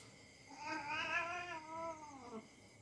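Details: House cat play-fighting a young dog; a single arching yowl, rising sharply, wavering, then dropping low at the end, lasting roughly two seconds indoors.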